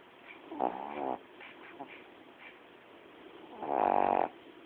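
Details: Coco, a pet female dog, asleep and snoring: a short rasping snore, a pause with faint soft breaths, then a longer, louder buzzing snore.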